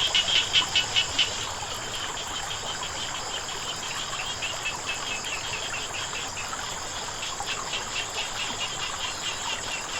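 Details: Frogs calling beside flowing water in a natural setting: a quick series of short bright pulsed notes at the start, then steady chirring from insects over a constant hiss of running water.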